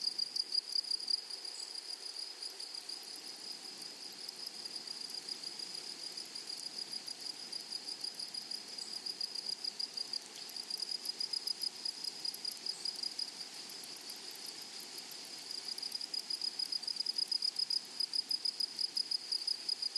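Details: Grasshoppers in a flowering prairie meadow: continuous shrill buzzing with a piercing steady tone and quick clicking pulses high overhead, the chorus swelling into rhythmic bursts several times a second near the end.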